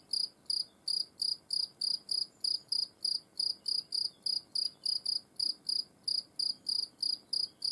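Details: Singing European field cricket filmed close up: steady series of shrill, pure-toned chirps, each a quick double or triple pulse, repeated roughly three times per second without pause over a quiet background.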